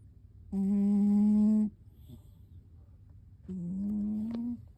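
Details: Loud snoring from a sleeping cat: a steady, strong, droning snore lasting over a second, then a softer snore that rises slightly in pitch.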